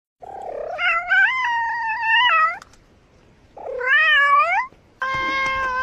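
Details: A domestic cat, arguing with a neighbour's cat, gives long, drawn-out meows that rise sharply at the start and then hold steady.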